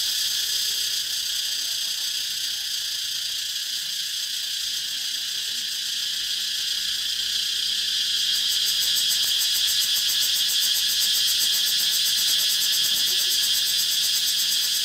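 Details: Cicadas in a dense, continuous high-pitched chorus, a bright hissing buzz that grows more pulsed and rattling halfway through, with fast rhythmic throbbing about four times a second.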